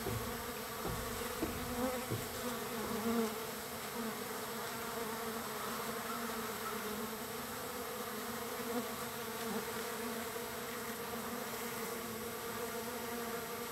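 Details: Large numbers of wild bees at a feeding spot, third day: continuous swarm buzzing, an even droning hum with a few brief louder fly-bys near the start.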